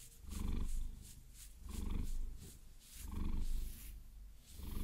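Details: Maine Coon cat named Vasilisa purring while being massaged with long nails, binaural close recording; deep low rumble swelling and fading with each breath, about four slow cycles, with faint nail tapping and scratching over it.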